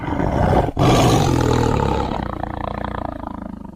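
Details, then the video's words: Tiger roar: a loud, deep blast that swells, briefly breaks, then continues as a rough, pulsing rumble gradually fading away over about three seconds. "The sound of a tiger roaring/Suara harimau mengaum"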